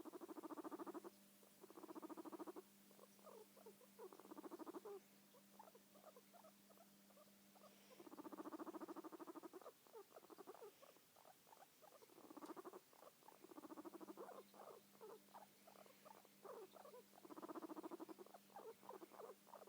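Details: Domestic guinea pig purring in repeated rumbling bursts of quick pulses, separated by stretches of softer, irregular chattering ticks, with a low continuous electrical-like hum in the background.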